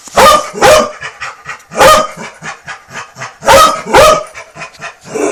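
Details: Pet dog arguing with a vacuum cleaner: five loud, rough barking bursts in about five seconds, mostly in paired doubles, separated by quieter huffing and grumbling.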